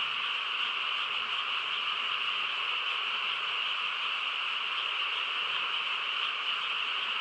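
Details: Nighttime frog chorus in quiet countryside: countless overlapping calls merge into a level, buzzing trill that runs without pause from start to end.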